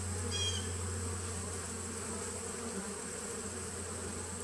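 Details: Honey bee nuc colony on 19 September 2018, a continuous low buzzing hum with a brief high chirping note near the start and a constant thin high tone.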